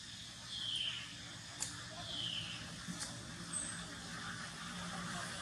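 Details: Baby monkey Polino, hungry for milk, gives thin high squeals that slide downward, two near the start and one shorter, sharper squeak later, over steady low hiss and faint background clatter.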